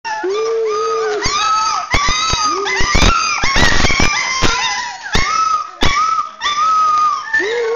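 Rottweiler puppies whine in high, wavering tones broken by sharp little yelps and clatters.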